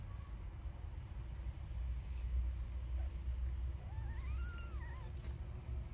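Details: Mother cat nursing her newborn kittens; late in the recording a single high, thin wavering mew rises, holds and dips for about a second over a constant low rumble like distant traffic.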